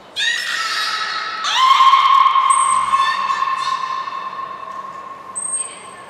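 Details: Nana the beluga in training at the Port of Nagoya Public Aquarium, 13 April 2019, gives two long harmonic squeals. The second is steady and tonal and lasts several seconds, with short thin high whistles above it.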